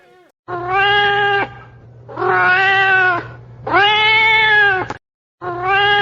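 A cat gives four long, drawn-out meows, each about a second long, spaced roughly every one and a half seconds, with a faint low hum underneath.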